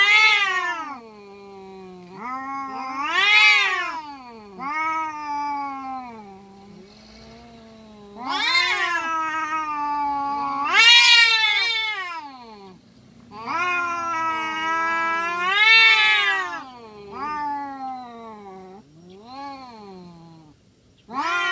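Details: Free-roaming village cats in Indonesia fighting, giving long wavering yowls that swell into loud harsh wails and sink back to low moans, rising and falling in waves about every four seconds.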